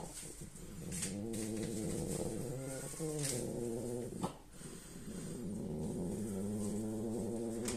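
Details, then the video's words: French Bulldog asleep and snoring, making rough, humming rattles on each breath. These come as a wavering, low growl-like drone with short breaks and a small soft click partway through. "French Bulldog Lady sleeps and snores"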